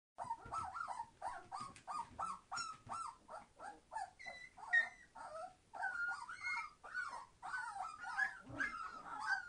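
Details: Entlebucher Mountain Dog puppies, 21 days old, from a litter born 26 September 2015, being very noisy: a dense chorus of high whines and squeals, short overlapping cries repeated rapidly with irregular rhythm.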